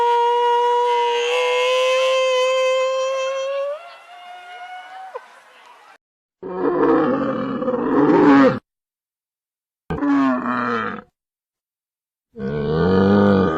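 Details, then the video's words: Camel call: a steady tonal moan that slides and fades, then three separate bursts of rough, gurgling roaring divided by silent gaps. "CAMEL SOUND EFFECT 낙타 울음소리"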